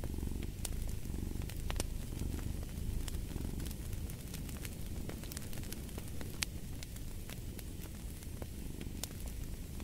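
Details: A cat purrs steadily in a soft, rumbling drone that pulses with its breaths, accompanied by scattered crisp pops and crackling from a wood fire.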